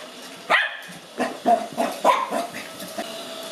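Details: Lhasa Apso puppy Cookie, aged five months, barks at a robot vacuum cleaner indoors: one sharp yap, then a cluster of lower gruff barks and grumbles within three seconds, machine humming underneath.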